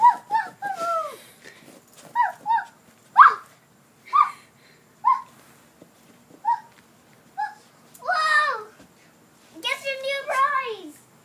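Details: Chihuahua named Bobo searching for her toy indoors: a series of short high whining yelps with falling pitch, spaced about a second apart, ending in longer wavering whines.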